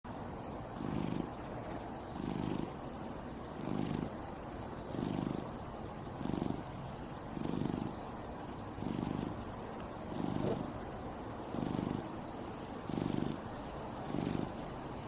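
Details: Cat outdoors in nature purring steadily, low rumbling pulses recurring roughly every 1.3 seconds over a soft constant background hiss.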